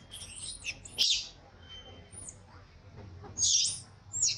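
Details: Crying baby monkey, mistreated by its mother, in a tantrum: sharp, very high shrieks, one near the start and two more close together at the end, with thin squeaky notes between and a low hum behind.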